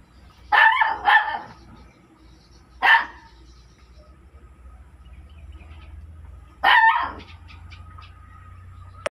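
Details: Dog barking: two quick loud barks close together, a single bark about two seconds later, then another bark near the end, separated by quiet stretches with a steady faint tone and low background hum.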